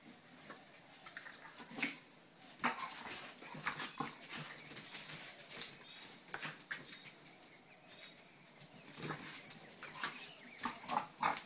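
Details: Two pet dogs playing together, producing scattered short yips, whimpers and growly bursts amid scuffling and thumping movement noises.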